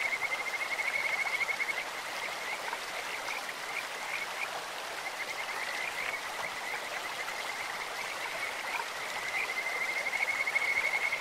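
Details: Beautiful birdlike voices of Kajika frogs in a clear stream: high, rapidly pulsed trills at a level pitch, loudest at the start and end, with rushing water filling the background.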